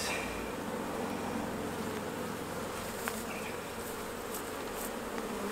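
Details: Steady hum of many honey bees during a honey harvest from the hives, a dense, even buzz lasting the whole stretch with a few light clicks.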